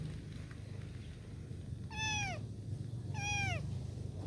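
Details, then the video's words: Kitten asking for help, calling with two clear, high, downward-sweeping meows about a second apart, rich in harmonics, against steady low background rumble. "A kitten's voice was heard asking for help"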